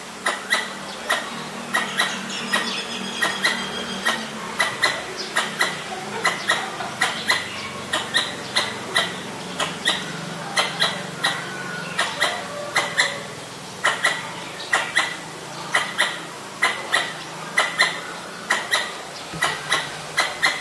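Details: Persistent danger calling by a Pallas's squirrel, Ubon Ratchathani, Thailand, 1 January 2023, Nikon P1000: long series of harsh, clicking chucks about two per second, steady throughout, with a low hum and distant birds.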